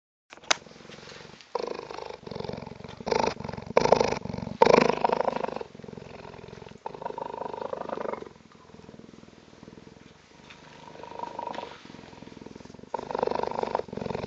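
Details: Purring from one of two newly arrived cheetahs on their first visit, a rough pulsing rumble in loud bursts between two and five seconds and again near the end, with quieter stretches and a person's voice nearby.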